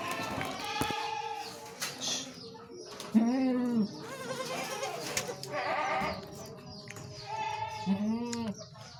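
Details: Peranakan Etawah (PE) goat doe that gave birth to four kids, bleating: wavering, tremulous bleats of about half a second each, several overlapping voices of differing pitch, recurring every few seconds, with faint background murmur.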